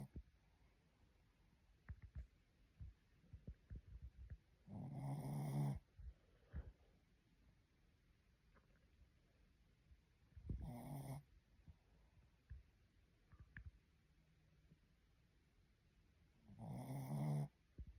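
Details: A sleeping Shih Tzu snoring: three loud, rasping low snores roughly every six seconds, each about a second long, with soft snuffles and breathing noises between them.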